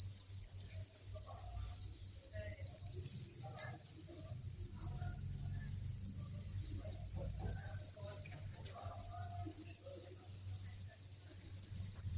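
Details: Thousands of crickets chirping together inside a cricket breeding farm, a dense, unbroken high shrill chorus that holds steady throughout, with a faint low hum and scattered soft background noises beneath.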